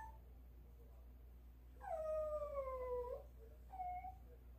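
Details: Dog whining for meat early in the morning while the meat thaws: a long, clear, high whistling cry sliding slowly down, then a shorter, fainter whimper, indoors in a quiet room with a woman speaking Korean around it.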